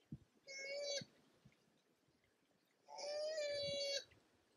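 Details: Male and female koala clashing in the mating season: a pair of level, moaning cries roughly a second each, buzzy with stacked overtones, with light knocking and rustling between them.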